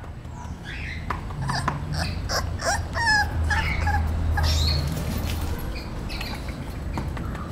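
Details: Romeo, a 38-day-old male English Bulldog puppy, gives a string of high, thin whimpers and yips, some with wavering pitch, over a low steady background hum.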